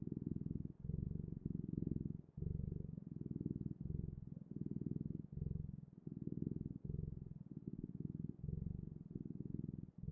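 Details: Domestic cat purring steadily indoors, a low rumbling purr in rhythmic bursts of about three quarters of a second, breaths clearly alternating, with no other sounds.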